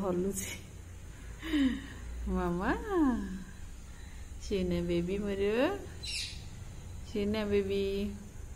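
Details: A cat calling at feeding time, giving about five drawn-out, harmonic meows over several seconds, each bending in pitch, some rising then falling, with a low steady hum underneath.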